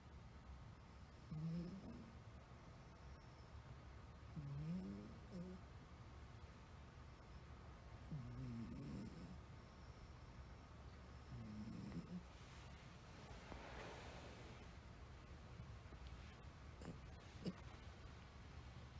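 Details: Sleeping Somali cat, a blue Somali male named Kuu kept as a pet in Japan, snoring in a quiet room: low, soft rasping breaths repeated every three to four seconds, with faint background hum.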